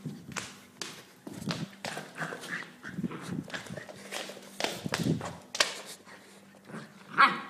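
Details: Luna, a 2-month-old German Shepherd x Husky puppy out on a walk, gives a run of short, rough yapping barks in quick irregular bursts, mixed with scuffling and footstep noises.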